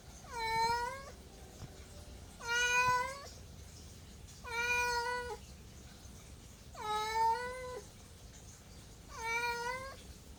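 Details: A domestic cat gives five evenly spaced meows about every two seconds, each a clear harmonic cry that rises slightly then falls at the end, with quiet room noise between calls.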